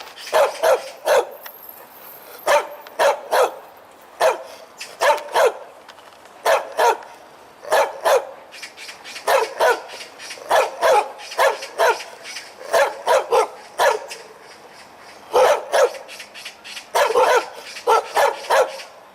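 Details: A domestic dog barks loudly while wagging its tail, a deep-voiced "kkeong kkeong": sharp broadband barks in bursts of two to four, with short pauses between groups, over a quiet background.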